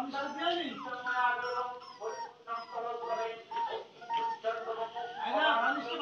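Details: Village puppies whimper and whine together in a steady, tonal chorus. Short pitch slides rise and fall, and the loudest rush of cries comes near the end.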